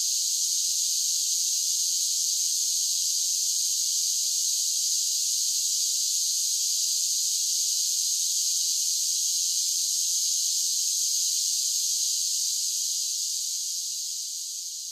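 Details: Singing cicadas on a summer day make a loud, seamless high-pitched buzz that holds steady throughout and tapers off softly in the final seconds.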